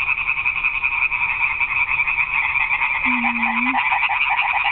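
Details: A dense night chorus of frogs at a garden pond, including a tree frog, with many voices blending into a continuous rattling, pulsing croak.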